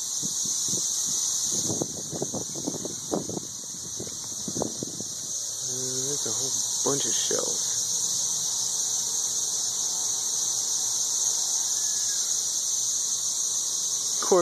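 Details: Dense chorus of 13-year periodical cicadas high in the trees in Nashville, Tennessee, a steady loud high-pitched whine; a man talks over the first five seconds, then the unbroken drone carries on alone.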